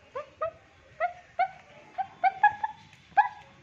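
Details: A Pomeranian, living with a husky, gives a quick series of high, yappy barks, some sharp and some drawn into whiny yips, barking for the first time at a visiting washing lady drying clothes.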